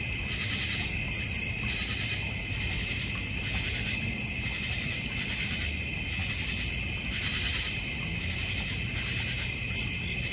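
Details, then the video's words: Crickets in a backyard in the North Georgia Mountains with a koi and goldfish pond, giving a steady high buzzing chorus with pulsing bands, plus brief sharp high bursts near 1, 6.5, 8.5 and 9.8 seconds. "North Georgia Mountain Cricket Sounds"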